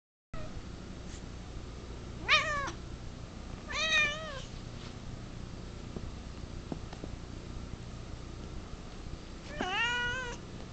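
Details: Female house cat indoors, unhappy at being filmed, letting out three separate wavering meows spaced a few seconds apart, with quiet room hum between them.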